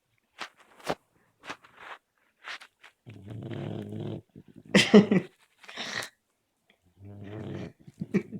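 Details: Sleeping Labrador Retriever snoring indoors: low buzzy rumbling breaths, two longer drawn-out snores separated by a few seconds, mixed with short soft clicks and sniff-like puffs in a small quiet room.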